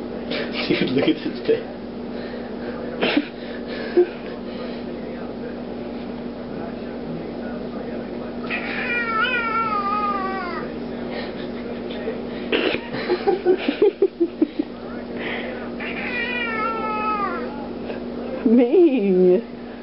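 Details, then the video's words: Ming, a large 15-pound black house cat, growls and yowls angrily when hands are used at him; drawn-out wavering meows with falling, warbling pitch come in two long bursts, with low growls and human speech around them. "THE ANGRY TALKING CAT"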